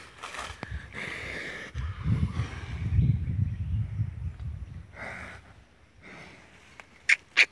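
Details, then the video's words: Female Peranakan Ongole cow giving a low, drawn-out moo of about three seconds, rough and breathy, followed by quieter rustling and brief high chirps near the end. "Sapi Peranakan Ongole"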